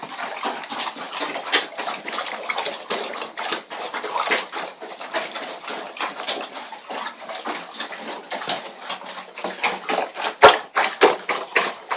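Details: Steady splashing and running water with a sharp clatter near the end, no animal voice.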